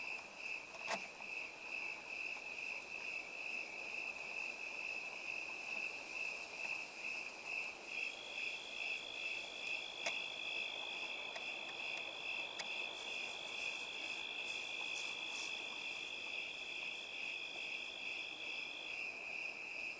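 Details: Crickets in an orchard of plums, an apple tree and ponderosa pines, chirping in a regular high pulse about twice per second, joined midway by a thinner continuous trill, with a few soft clicks.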